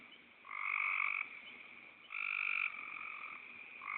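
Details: Two loud, drawn-out nasal croaks from a frog, each under a second, are joined by softer snore-like croaking that trails between and after them. The setting is otherwise still.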